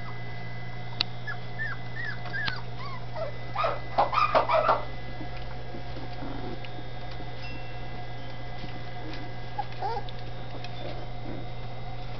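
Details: Dachshund puppies in Campinas, São Paulo, in their new home give thin, high whimpers and short yips over a steady low hum.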